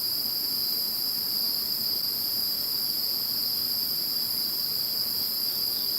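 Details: After Typhoon No. 21 moved away, insects keep up an unbroken high-pitched ringing chorus: several steady shrill tones stacked together, constant in loudness, with no other sounds.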